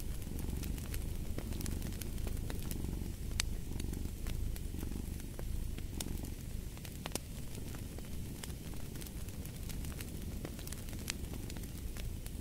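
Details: Low, continuous purring from a domestic cat with a looser breathing rhythm, partly masked by frequent crackles and snaps from a fireplace burning in the background.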